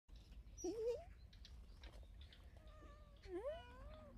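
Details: Friendly stray cat often seen at a workplace, rolling over to offer its belly and asking to be petted; two soft, quiet wavering meows, the second rising then falling with faint harmonics, over low background hum.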